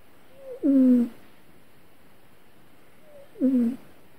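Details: A cat vocalizing in its sleep during a bad dream: two brief, downward-sliding whimpers about three seconds apart, each starting with a soft higher note before the louder falling cry, in a quiet indoor setting.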